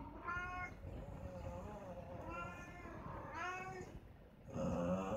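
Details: Cats fighting: drawn-out, wavering yowls rise and fall in several long bursts, with a brief lull before a louder final cry, over a low rumbling background.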